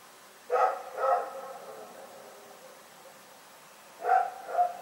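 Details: Night barking by the dog Rex, 27 February 2018: two barks close together, a gap of roughly three seconds, then another quick double bark, each with a ringing echo in an otherwise quiet setting.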